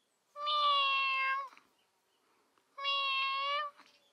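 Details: Domestic cat among playful kittens and cats, giving two long, steady, even-pitched meows of about a second each, separated by a short silence in a quiet indoor setting.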